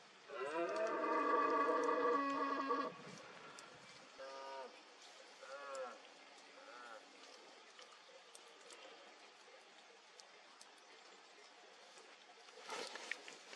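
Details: Red deer stag bellowing in the rut, Cantabria, Spain, 2022, in fog: one long, loud, deep roar of nearly three seconds, followed by three short softer grunting roars and calm background.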